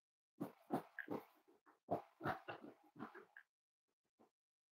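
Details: Snuggling Cavalier King Charles Spaniel puppies in a small indoor room on a warm Friday morning, giving soft throaty grunts and little squeaky murmurs, about a dozen uneven pulses over three seconds before falling quiet.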